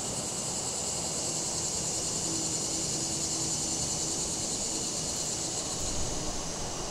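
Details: Afternoon cicadas in a breezy setting on September 14, 2023, phone-recorded through a Shure MV88+ microphone: an unbroken, shrill, sizzling drone carries on steadily while wind gusts, traffic rumble and a flapping deck umbrella fill the background.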